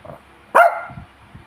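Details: Hungry pet dog waiting for a treat gives one short sharp bark, with a woman's voice asking for its paw just before and clapping after.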